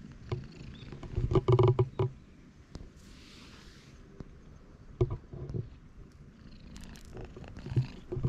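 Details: Stray cats on a Japanese cat island, huddled close together, filmed with a GoPro HERO8: low, rumbling purr pulses that swell loudest in a burst near the start, then fade to intermittent soft rumbles with clicks and handling knocks.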